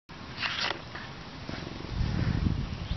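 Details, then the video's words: A male serval purrs in a low, steady, throbbing rumble, content while getting attention from his human friend. "Adorable serval loves his human friend"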